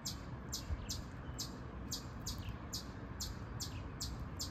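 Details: Shrill, clipped chips from a noisy chipmunk repeat at an even pace of about two per second above a constant broadband hiss.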